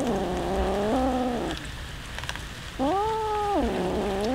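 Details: Hungry domestic cats, several of them, eating raw fish during a feeding; loud drawn-out meows with steady harmonic bands, two long calls separated by a quieter pause with faint chewing noises.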